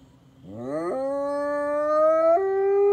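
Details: Howl from an F-1 high-content wolfdog: a quiet start, then a quick upward slide into a sustained, smooth, level tone that steps slightly higher near the end.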